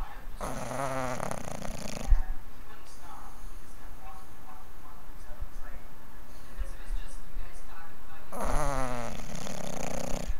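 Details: A sleeping English bulldog snores with long, rough, rattling breaths separated by a quiet pause.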